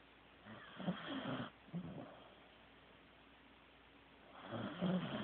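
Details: Corgi named Teddy snoring in sleep: a choppy, sputtering low rattle, a brief snort, a quiet pause, then another rising throaty snore at the end.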